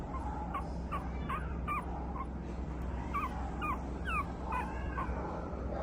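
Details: Boston Terrier and Pug cross puppy, a brindle female with a white chest, gives soft, squeaky whines in quick irregular bursts, some sliding downward, partly masked by constant low rumbling noise.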